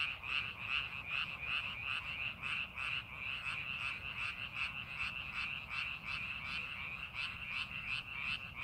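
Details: Many frogs croak together in rice paddies during farming preparation, producing a high, pulsing trill repeated about three times a second, with clearly beating waves of sound over a constant hum.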